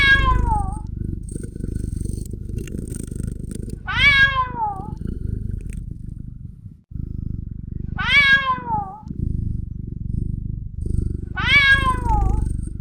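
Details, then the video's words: A kitten gives repeated descending, strongly harmonic meows roughly every four seconds, with a continuous low rumbling purr or hum underneath throughout. "kitten nature sound cat"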